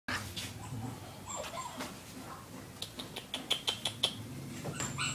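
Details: A black Shih Tzu gives a run of short, high, squeaky yips and soft whimpers.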